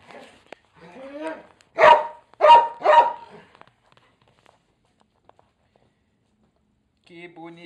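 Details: Pre-meal dance of Irish Setter Bina and fellow dog Alemão: three loud barks in quick succession follow a woman's cooing speech, then a quiet stretch before she speaks again.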